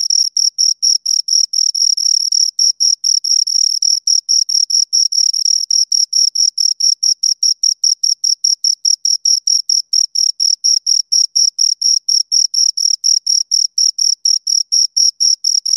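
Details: Two crickets keep up a long, unbroken series of shrill, rhythmic chirps, fast and regular throughout, with no other noise present.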